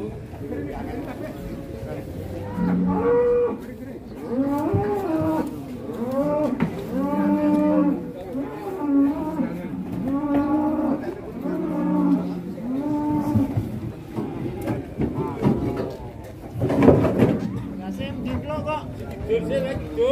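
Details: Cattle being unloaded from a truck with a child's help, lowing in a series of long, wavering moos with strong harmonics, repeated roughly every one to two seconds, with music playing in the background.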